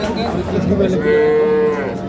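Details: Cow at a busy Bangladeshi cattle market in Parbatipur, Dinajpur, on 19 January 2026, among dairy cows sold with their calves, giving a brief, steady, nasal moo under loud bargaining voices and crowd noise.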